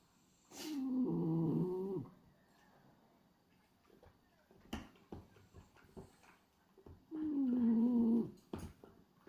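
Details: Snoring from a sleeping male French Bulldog named Hachi, pied black and white, tongue fluttering as he sleeps: two droning, nasal snores roughly six seconds apart, each sliding slightly downward, with small clicks and rustles between.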